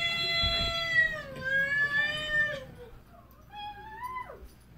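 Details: Domestic cats giving long, drawn-out tonal yowls: a sustained wail for about two and a half seconds that dips and levels off, then a quieter, shorter cry that rises before dropping sharply at the end.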